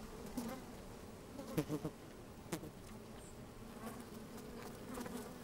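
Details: A close-up microphone placed in an open hive on a sunny day picks up busy honey bees: a low continuous hum, several short loud buzzes in quick succession near the middle, and soft clicking of moving insects.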